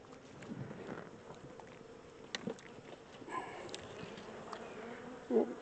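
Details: Second caught swarm of honey bees during transfer from a temporary small box to a regular hive, combs holding nectar and brood; a soft continuous buzzing drone with occasional handling taps and a louder thump near the end.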